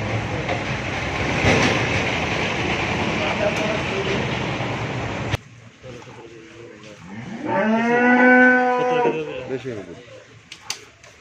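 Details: Friesian dairy cow that has calved once, kept with her heifer calf on a farm in Bhangura, Pabna, Bangladesh; after loud rumbling noise, one drawn-out, full-throated moo, steady then slightly falling, lasting about a second and a half.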